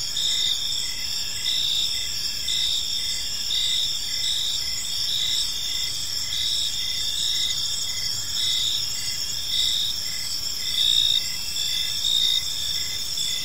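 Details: Evening chorus of crickets in a quiet park, a dense high shimmering trill under regular chirp bursts returning roughly once a second, many callers blending together; no birds, voices or traffic stand out.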